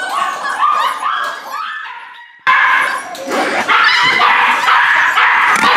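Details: Corgi Airedale mix rescue pups, up for adoption on Dec 31, give broken whimpers that fade to near silence, then burst back into a loud, busy tangle of yips and whines.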